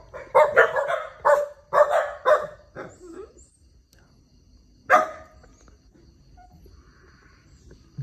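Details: A dog in Vietnam barks, apparently urging its owner to go and rescue an otter that is calling out. Sharp, harsh barks come in a quick irregular burst of about eight over three seconds, then a single bark after a pause, with quiet background.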